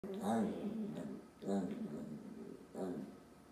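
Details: A Pekingese in Washington makes three drawn-out, wavering, voice-like yowls, each rising then falling, demanding the last pancake.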